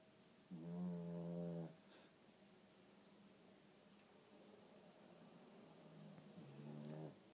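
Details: Pugalier puppy sleeping and snoring very loudly indoors: two deep, rumbling snore bursts of about a second each, rich in low buzzy harmonics, separated by several seconds of quieter breathing in a small room.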